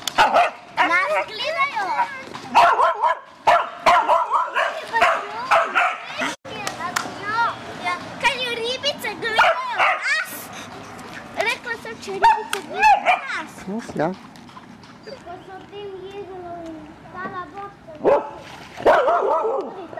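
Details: Border Collie at Lake Bled, Slovenia, in August 2008, excited by ducks, swans and horses: rapid high whines and yelps rising and falling in bursts throughout, with people talking over them.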